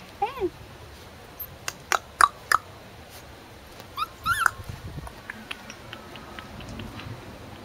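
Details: Male Corgi puppies, 44 days old, at a breeding kennel on 29 April 2013, giving short high whimpers and squeaky yelps, some sliding downward in pitch, in scattered bursts with sharp clicks between them over a quiet background.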